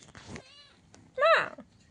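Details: Domestic cat calling in the morning after waking, with one short, loud meow that rises then falls, rich in harmonics. A woman's soft speech comes just before it.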